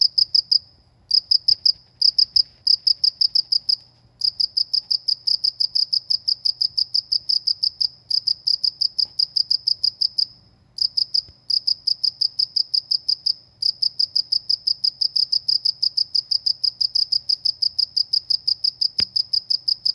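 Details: Countryside cricket producing quick, ringing chirps in runs of varying length separated by short pauses, steadying into a long unbroken series later on; faint clicks and a low hum sit underneath.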